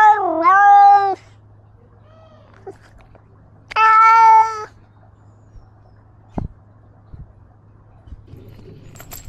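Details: Ros, a domestic cat carrying a camera as he roams, utters two long meows, the first bending downward then level, the second steady, several seconds apart, followed by quiet and a few faint clicks and knocks.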